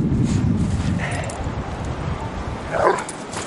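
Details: Butter, a Golden Retriever, playing in the snow, gives one short, sharp bark near the end after a low rumbling stretch, with steady wind-like rustling throughout and a person's voice nearby.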